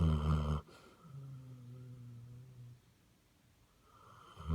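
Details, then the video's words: Basset Hound asleep, one loud rasping snore at the start, then a softer humming exhale with a steady low tone, quiet pause and another snore building at the end. "Snoring Basset Hound"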